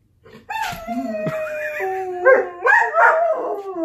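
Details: Dog howling in overlapping wavering tones that hold steady, then break into louder rising and falling wails toward the end, with a possible second voice layered underneath.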